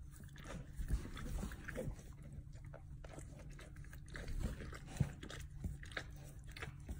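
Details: A pet dog indoors chewing and licking its own rear with gusto: soft wet smacks and irregular clicking bites over a steady low hum, with a few louder snaps.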